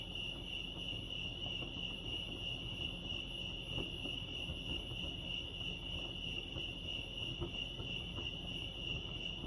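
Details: Continuous cricket chorus at Lake Arrowhead in California, an unbroken shrill pulsing tone at a single high pitch, with faint low background hum and scattered soft ticks.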